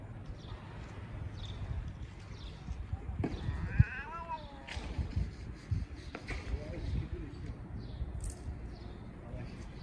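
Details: Homeless street cats converse while settling a dispute. One clear, bending meow sounds about a third of the way in, with fainter cries around it, over heavy low background rumble and scattered knocks.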